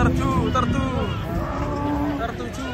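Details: Restless cow coming off a truck, lowing in a hoarse, sustained moo mixed with overlapping human chatter and a low mechanical hum.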